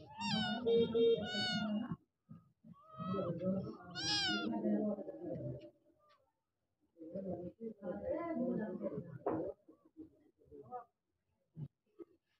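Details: Stray Persian kittens meowing for food, asking to be rescued: several high, harmonic meows in bursts with pauses between, mixed with a man talking nearby in Bengali.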